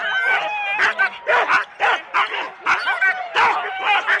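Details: Four-dog Husky teams at the start, Rendlesham, January 2016, analogue cassette recording: high whining yips and shrill barks from several dogs together, in short bursts with brief dips between.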